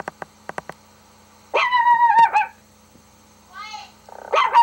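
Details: Dog indoors responding to a dog's bark played on a laptop; a few quick taps, then a long quavering howl-like bark, a softer whine, and another wavering bark at the end over a low electrical hum.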